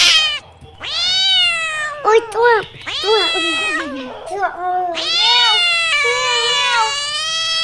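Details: Crying cat voicing a mix of long, harmonic meows and a few short, quick mews in the middle, closing with an extended wailing cry.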